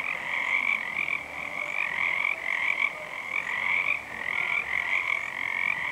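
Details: On a full moon February night in 2011, numerous Pacific tree frogs call together, their grating high croaks running continuously in overlapping pulses that rise and fall gently in loudness.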